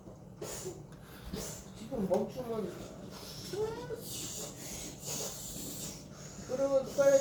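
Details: Friendly pet cat, patient and content while a new owner clumsily brushes it, gives short arched, tonal meows near two, three and a half and nearly seven seconds, amid brushing rustle and a person talking nearby.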